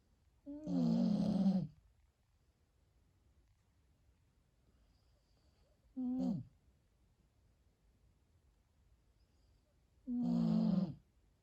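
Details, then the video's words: A sleeping Husky snores: three rough, low, harmonic snores, the first long, a short one near six seconds and a long one near ten, separated by quiet pauses of about four seconds, with a faint breathy hiss on the louder ones. "Husky Smokes: Snoring beast"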